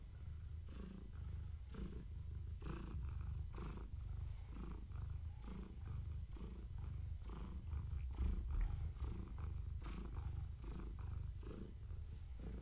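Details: Strong rhythmic purring from Gaia, a long-haired tabby cat pregnant with kittens, as she is petted and scratched in the evening. A deep, even rumble rises and falls with each breath throughout.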